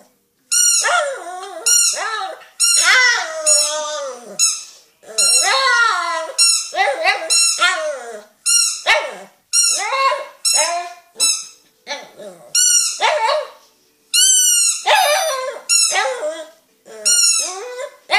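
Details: A dog makes funny noises at a squeaky dog toy: quick bursts of high, squeaky whining with short yelps sliding up and down in pitch, in uneven, chattering clusters with brief pauses.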